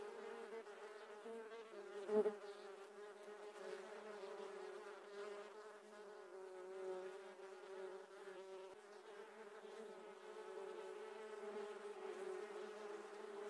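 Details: Giant honey bees, Apis dorsata, swarming during honey harvesting, a sustained low buzzing hum with layered overtones, one sharp thump early on, then steady droning to the end.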